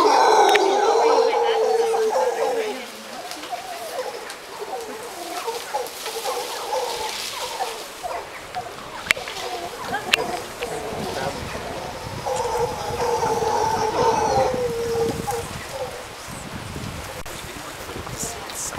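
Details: Howler monkeys at sunset in Costa Rica: two drawn-out, moaning roar bouts, one at the start lasting about two and a half seconds and another near the thirteen-second mark, over a steady background hiss and rustle.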